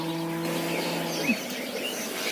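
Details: Mother cow mooing for her calf on a farm: a steady, low, droning moo that holds an even pitch for over a second, then drops and cuts off, with faint bird chirps in the rural background.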